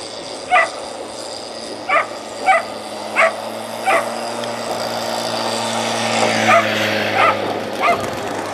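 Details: At a 280 m whippet race, Turku Cup heat 29, a dog gives a run of short, sharp barks at uneven intervals. A rising hum and faint crowd noise build in the middle, and one last bark comes near the end.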